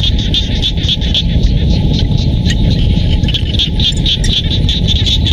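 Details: Rural paddy fields of Siem Reap, Cambodia, with frogs giving fast, throbbing pulsed calls in a continuous overlapping chorus, set against heavy low-pitched background rumble.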